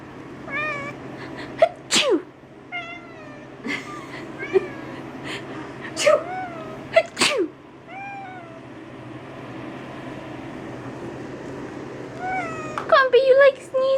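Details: Two-year-old calico cat, upset by people sneezing, answers a person's repeated fake sneezes with drawn-out, bending meowing howls, several in a row between the loud sneezes and spoken teasing.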